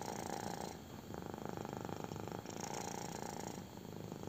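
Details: Intense purring from a kitten enjoying a belly rub, a steady low pulsing rumble in two long breath-phrases separated by a short dip, with soft brushing noise above it.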